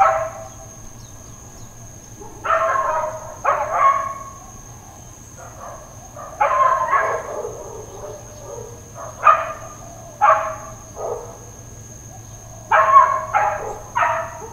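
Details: Neighbourhood dogs barking intermittently in Hawaiian Paradise Park, Hawaii, on Labor Day, September 2, 2024: loose clusters of two or three sharp barks separated by short pauses, over a steady high insect whine and faint bird chirps.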